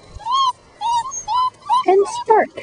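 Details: Puppies at five weeks old, among them Spark and Voodoo, whine outdoors: a series of clear, arching high whines in short separate bursts, ending in lower, rougher squeals.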